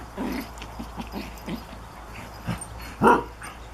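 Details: While a Japanese Chin puppy plays with a Collie, soft rapid yips and grumbles lead up to one louder bark near the end.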